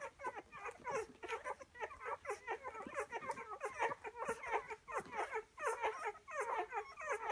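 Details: Litter of Rhodesian Ridgeback pups, day ten, suckling eagerly. Dense chorus of high, bending squeaks and whines from several puppies at once, rapid and uneven, roughly one or two each second per voice, no other sounds.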